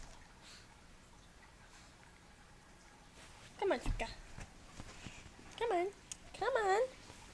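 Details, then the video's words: Suka, a female Pomeranian Shih Tzu puppy who hates baths, just after being bathed indoors: three wavering, high whining cries rising and falling in pitch, spaced a second or two apart, over quiet room noise. "After Giving my dog a bath :D"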